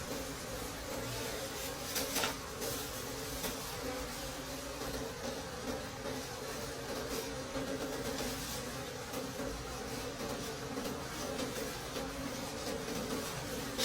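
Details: Forest-dwelling wild bees hum around their nest as dark honeycomb is gathered in the season's final harvest; a continuous low drone sits beneath dense, hissy background noise with occasional faint knocks.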